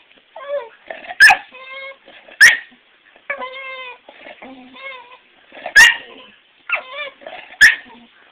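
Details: Unhappy female bulldog kept off the bed at a house where she is being looked after for Thanksgiving; repeated tremulous whines mixed with short, sharp high yips at irregular intervals.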